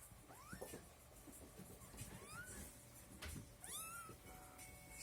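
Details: Sorrel Abyssinian kitten at a cattery in Kyiv, Ukraine, giving several thin, high rising-then-falling mews while being held, with a woman speaking softly in Russian between the calls and faint handling noise.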